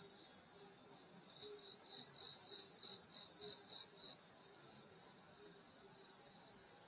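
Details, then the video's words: Insect song from a summer night in the countryside: a high, rapidly pulsing trill chorus, with a quicker beaded chirping series and fainter low chirps repeating several times per second. "여름소리 풀벌레소리 시골밤소리"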